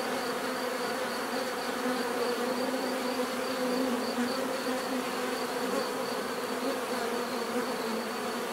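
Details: Many bees droning together in a continuous, even hum, several pitched layers overlapping, with a thin high tone running across and no other clear sounds.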